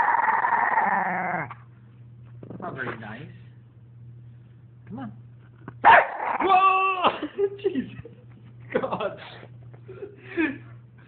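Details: A female French bulldog that wants to be put on the couch but not picked up protests with harmonic, moaning growls that rise and fall in several bursts. A person's coaxing voice breaks in between the grumbles, over a steady low hum.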